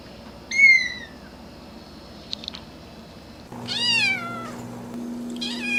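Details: Domestic cats or kittens meowing: a short falling meow, then after a pause a longer drawn-out meow with a louder second cry at the end, over a faint steady hum.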